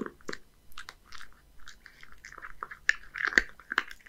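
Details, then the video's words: Indoor feeding of Hige, a young male Scottish Fold in Japan, on horse mackerel and dry kibble; loose, uneven crunches and smacking bites at roughly two per second, with short pauses between mouthfuls. "Eat horse mackerel and crispy combo! [eating sound]"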